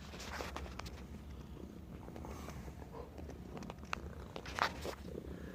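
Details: Young male Bengal kitten, a rescued stray just over a year old, purring indoors while playing fetch and enjoying interaction with people; soft, steady low rumble with scattered faint clicks and rustles from play.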